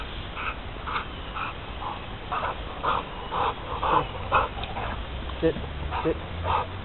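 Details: Four-year-old male American Bulldog giving a series of short, rhythmic whining or grumbling vocal bursts, about two per second, over a steady low background hum.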